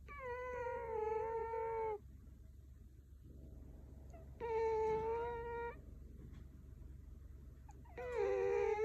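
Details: Goma, a four-year-old female Scottish Fold, snores loudly while sleeping at home in Canada: whistled, nasal tones about a second long with a wavering pitch recur roughly every four seconds, with a softer breathy rasp in the gaps.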